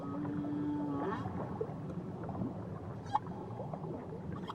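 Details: Whale near Tahiti giving a short level tonal note in the first second, then faint scattered chirps and one brief upsweep, mostly buried in rumbling underwater noise.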